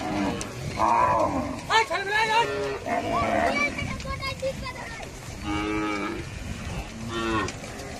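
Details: Cattle crossing, mooing repeatedly: several drawn-out, harmonic-rich moos overlapping from more than one animal, some rising then falling, spaced roughly a second or two apart, over a steady background rumble.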